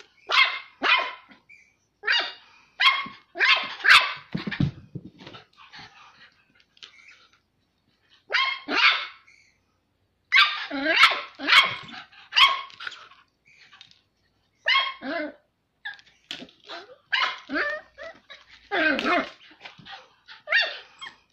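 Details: Two 10-week-old Smooth Fox Terrier puppies trade high, sharp barks and yips in quick bursts while playing, one seemingly asserting authority over the other.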